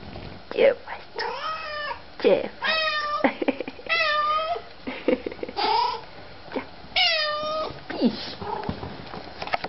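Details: Pet cats, happy at the return of their owners, meow repeatedly indoors: clear, wavering, slightly descending meows about once a second, mixed with people's voices speaking to the cats.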